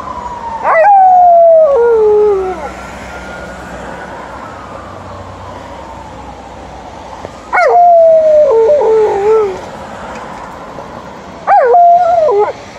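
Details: Liza, an Alaskan Malamute, gives quick howls on an evening walk; three short, loud bursts of wavering, downward-sliding howling, each lasting one to two seconds, separated by quieter stretches with a faint siren-like sweep in the background.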